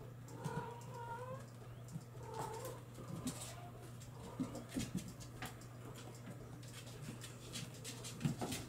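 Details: Bengal kittens born in July 2022 let out a couple of thin, wavering mews early on, then soft scuffling and tapping take over, with a persistent low hum behind.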